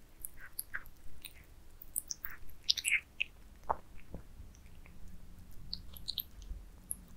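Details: Cats feeding on minced meat towers in a close ASMR recording: crisp, crackling bites and squelchy chewing come in quick uneven bursts, some bright and sharp, over a quiet room.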